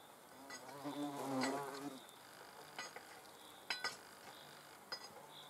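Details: Hornet under observation: a low, droning wing buzz swells and fades over about a second, then gives way to scattered faint clicks and ticks.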